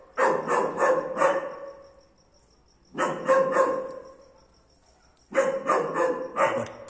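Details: A German Shepherd barking for the first time gives three bursts of quick, rough barks, each burst four or five barks long.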